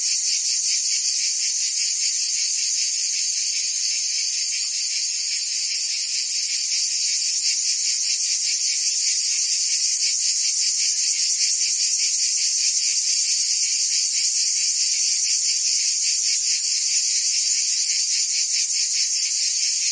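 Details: Cicadas singing on a summer day in Provence, France: a dense, continuous high-pitched buzzing chorus with steady loudness and a fast pulsing texture, about two to three pulses per second, with no other sounds.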